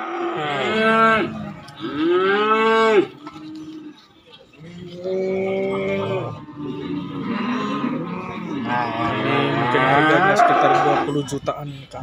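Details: Cattle at a market selling calves and young bulls: several bellowing moos, two short arched calls early on, then longer overlapping moos from more than one animal, with a brief quiet gap near four seconds.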